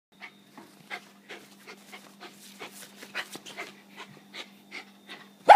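A West Highland White Terrier pants in quick, breathy puffs, with a low steady hum behind.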